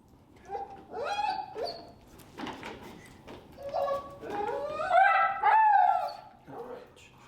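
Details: Finnegan, a very vocal feral dog, in his first training class in Chicago with an e-collar introduction, gives rising, wavering whines and yelping cries in bursts of a second or two, with a person talking between them.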